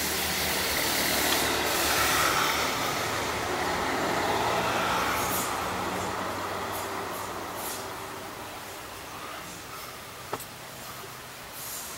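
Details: Steady broadband traffic or train rumble with a single sharp click near the end, and no clear animal calls.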